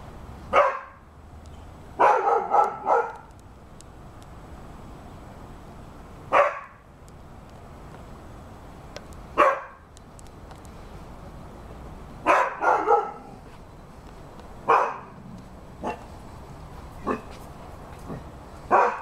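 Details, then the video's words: Rhodesian Ridgeback dog barking in loud, harsh bursts, single woofs and quick double or triple barks spaced a few seconds apart, with a steady background hiss between them. "Rhodesian Ridgeback dog barking"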